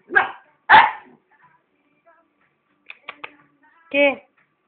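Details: Thai Ridgeback dog at a Spanish breeding kennel giving two loud, harsh barks in quick succession, followed by clicks and a short voiced, whine-like sound, with people talking in Spanish nearby.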